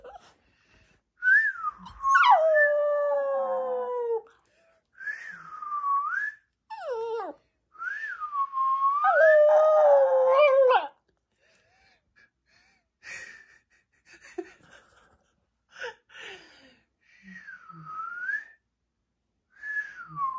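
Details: Pet dog answering its owner's whistles: repeated wavy whistled phrases alternate with drawn-out falling howls, the longest near two seconds, later followed by quieter whistles and a few soft sounds.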